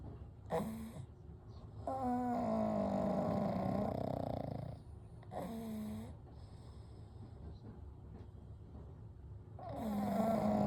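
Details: Gentle snoring from three pugs, Kou, Gen and Shun, asleep side by side: separate whistling, nasal snore bursts arrive every few seconds, one long rattling snore in the middle, with quiet breathing between them.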